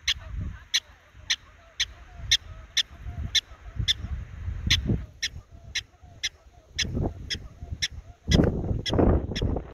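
A groundhog gives sharp, high squeaks, repeated steadily about twice a second.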